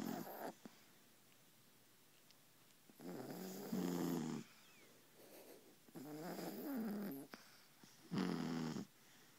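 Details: Mother and baby Beagle asleep on a pillow, snoring next to someone's ear; long raspy snores with a wobbling buzzy tone come in slow bursts about every two seconds, separated by near-silent pauses.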